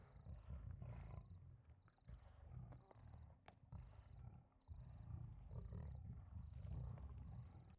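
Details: At night, two lions kill an impala stuck in mud. Low, rasping growls surge in uneven bursts, with a quiet gap near four and a half seconds, while faint high electronic beeps repeat throughout.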